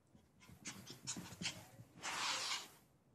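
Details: Bear, a nine-week-old purebred miniature American Eskimo puppy, playing with a ball and nipping at feet; soft, breathy panting puffs in quick succession, then one longer hissing exhale, all quiet and close.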